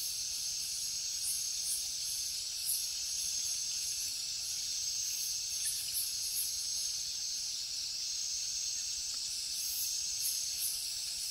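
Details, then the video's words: Crickets chirping at night in the jungle: a dense, unbroken high-pitched drone with a fainter, even higher shimmering layer that pulses in short bursts roughly every second, forming a steady insect chorus with no other clear sounds. "Insects sounds | Cricket sounds |Jungle night"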